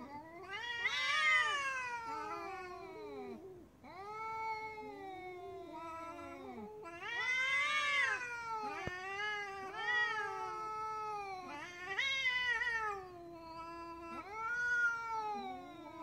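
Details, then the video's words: Domestic cats in an angry squabble, calls that show a cat preparing to attack: repeated long, bending caterwauls, each swelling then sliding down in pitch, one voice overlapping another, steady loud bursts throughout. "angry cat meows we continue with the LI meows of cats in the vast majority of cases these indicate the cat is angry and is preparing to attack"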